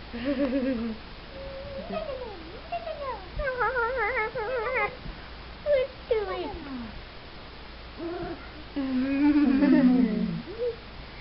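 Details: Four-week-old Wheaten Terrier puppies whining: wavering, warbling tones rise and fall in short bursts, some with a quick tremolo, ending in a longer, rougher whine.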